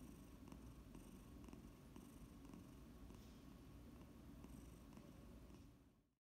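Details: Indoor Domestic Shorthair cat in a foster home, awaiting adoption, giving a low steady purr with gentle rhythmic breathing pulses, fading out at the end.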